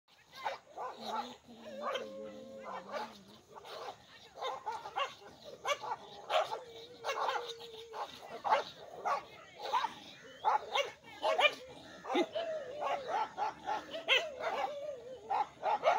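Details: Village dogs in a fight between two groups, barking in a rapid, overlapping stream of sharp, loud bursts over sixteen seconds, with some higher whining tones and a human voice now and then.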